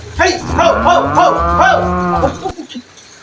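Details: Brahman cattle, one of two Brahman cows shown with a breeding cow: a single long, harmonic moo of about two seconds with a wavering, rolling pitch, followed by a short thump and quiet background.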